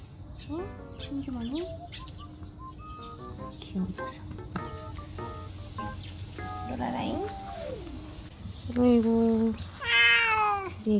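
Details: Cats in a sunroom shortly before feeding. Light plinking background music plays throughout, then two loud, drawn-out, wavering meows come near the end.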